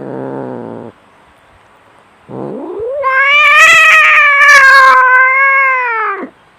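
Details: Two domestic cats in a fight: a short, rough growl, a pause, then a guttural rumble climbs into a loud, sustained caterwaul with grating, raspy bursts, held steady for over three seconds before dropping away.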